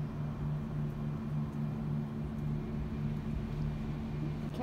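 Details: A low, even engine hum with outdoor background noise and a faint murmur of speech; no animal sound is heard.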